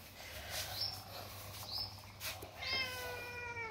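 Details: Domestic cat giving three meows about a second apart. The first two are short and high, and the last is longer and strongly harmonic. A voice says a word just before, over a low steady background hum.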